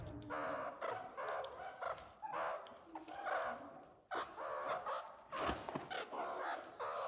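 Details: Growing meerkat babies at Nagasaki Bio Park calling almost nonstop: rough, chattering bursts repeated about every half second, briefly broken by a pause and a sharp click midway.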